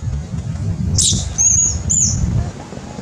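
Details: Loud crying of a baby monkey threatened by a big monkey during eating: one sharp high squeal, then two drawn-out, piercing whistled cries with bent, falling ends, over a steady low rumble.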